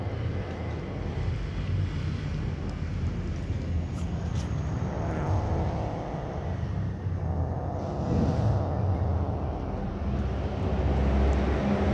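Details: Continuous low outdoor rumble of vehicles or a distant aircraft, with a few faint clicks and no animal calls.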